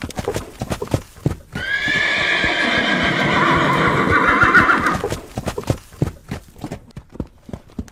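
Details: A horse neighs over galloping hooves: after a second of hoofbeats comes a long, loud whinny lasting over three seconds, high and tremulous with rich overtones, sinking slightly at the end before the drumming hooves return.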